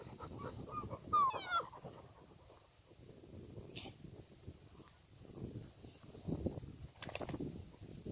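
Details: English Springer Spaniel puppies: one short, thin whine slides downward just after the first second, followed by soft rustling, low handling noise and a brief faint high squeak near the start.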